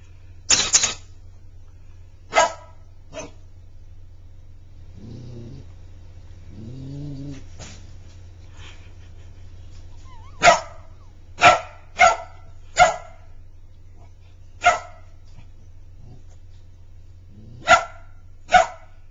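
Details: Magic, a Border Collie puppy, barks while playing with his toy hedgehog: sharp broadband barks scattered through the recording, some in quick pairs, with a couple of low growly sounds in the middle and a steady low hum underneath.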